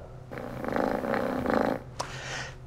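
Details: Cat purring, presented in a guide to understanding kitten sounds where purring signals contentment when relaxed; a rough, pulsing rumble lasting about one and a half seconds, followed by a short click and faint rustle.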